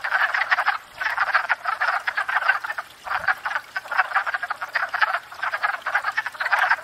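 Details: Wood frog breeding chorus at a spring pond, rasping duck-like croaks coming in bursts with brief lulls near one and three seconds before the clucking racket resumes.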